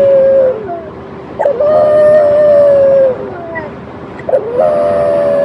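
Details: Talking French Bulldog Ugo voices a series of howls: short whine, then a long even note sliding down at its end, followed by two more rising-onset howls, with brief quiet gaps between.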